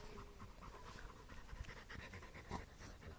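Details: Labrador Retrievers, yellow Bally and brown puppy Cooper, sharing a stick; soft, quick, breathy panting runs steadily through the recording in short even puffs, with a low faint hum underneath.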